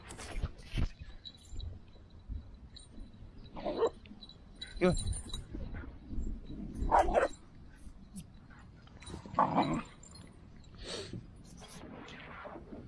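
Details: Standard poodle barking outdoors in Ketchum, Sun Valley area, Idaho, during play: several short, sharp barks spaced a few seconds apart, mixed with soft whimpers, while people talk and call to the dogs nearby.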